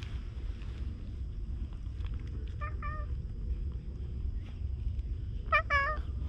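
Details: Outdoors at a seaside fishing spot, a stray cat gives a pair of short mewing calls, pauses, then two louder, rising-falling meows close together. A steady low rumble of wind and surroundings sits underneath. GoPro recording.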